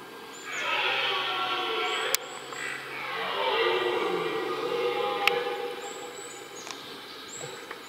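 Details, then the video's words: During the rut, a red deer roars in a rutting ground: one long, rough, harmonic bellow lasting about five seconds, swelling then sinking in pitch, with sharp clicks and faint high bird chirps in the background. "Mitten im Brunftkessel - Ein gewaltiges Röhren - in the middle of the rutcauldron Red Deer"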